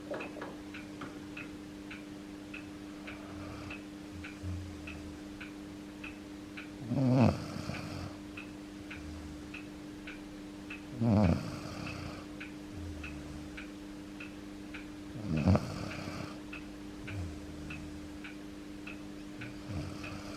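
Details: Akita named Yuki, an ageing dog, snoring loudly as he sleeps with his head resting on a foot: three short, snorting snores about four seconds apart over a steady low hum and a ticking clock.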